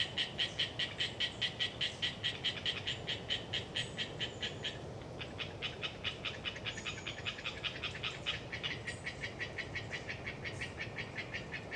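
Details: Wild Hyla orientalis tree frogs chattering in the Galeriç swamp forest of the Kızılırmak Delta, Samsun, on a windy autumn day: fast, rasping pulses repeated about two per second, a brief pause mid-way, then resuming, with thin high bird notes and wind hiss beneath.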